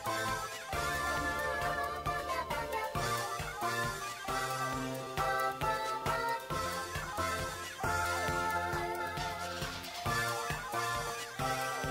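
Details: Cheerful funky pop music plays continuously with layered instruments and no animal sound.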